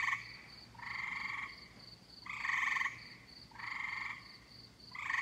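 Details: In summer, tree frogs give drawn-out rasping croaks lasting over half a second, spaced about every one and a half seconds, against a soft rapid pulsing background trill.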